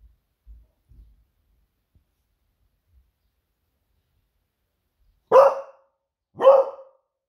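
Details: Smudge, a female Beagle, barking to raise the alarm as she senses her owner nearly home from surfing; two loud sharp barks about a second apart near the end, after faint low thumps.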